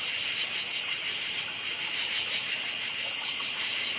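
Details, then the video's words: Night-time cricket chirping: short, high, pulsed chirps repeat about twice a second in an even rhythm over a constant background chorus of other crickets. "Night Sounds Crickets Chirping"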